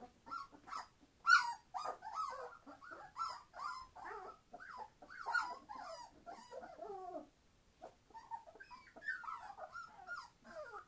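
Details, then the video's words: Twenty-one-day-old Entlebucher Mountain Dog puppies from a litter born 26 September 2015 crying together: piercing whines and squeals in quick succession, a short lull, then more rising and falling whimpers. "Entlebucher Mountain Dog puppies 21 days old - being very noisy!"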